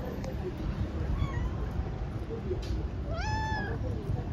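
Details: Tabby kitten, a hungry outdoor stray looking for its mother, gives a faint short mew and then a louder arched meow, rising then dropping, against low background rumble and faint voices.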